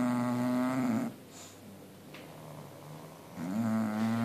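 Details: Pair of sleeping bulldogs snoring contentedly; a buzzing, tonal snore fades out, a breathy lull follows for about two seconds, then another droning snore swells in.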